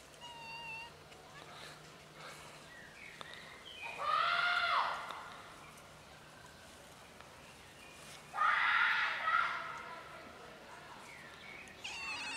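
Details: Several cats share a bench outdoors, a black kitten among them. Two separate meows about four seconds apart, each with a rising then falling plaintive tone. Quiet rural background and faint chirps lie between them.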